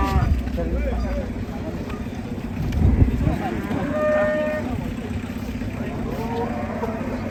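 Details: Agitated cow, injured after leaping from a truck, with a steady low lowing beneath people's voices, engine noise and general crowd clamour.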